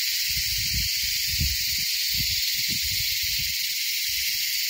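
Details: At Kaas Plateau, insects (called beetles) give a mating-call chorus so loud it hurt listeners' ears: a loud, steady, high-pitched hiss without pause.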